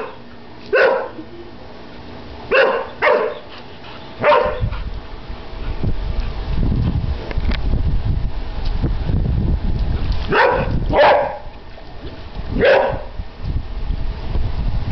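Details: Airedale Terrier barking at bubbles on his first birthday; a few spaced barks at the start and again near the end, with a stretch of low rumbling background noise in between.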